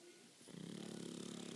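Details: Leo, a male pet pug, snores in his sleep with a low, rattling flutter that lasts about a second.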